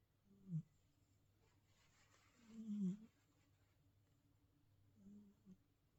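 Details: Fat Boy, a Himalayan Persian cat in New Zealand, snoring indoors: three low, rumbling breaths about two seconds apart, the middle one longest and loudest, with a faint steady hum beneath.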